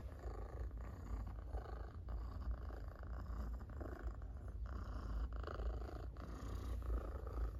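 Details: Loud purring from a cat being petted, a thick low buzzing rumble that swells and eases with each breath, steady for the whole stretch, with light touches of handling noise.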